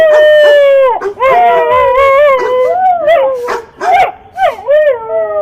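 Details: Loud sliding dog howls swoop up and down, interrupted by a few sharp barks and yelps near the end.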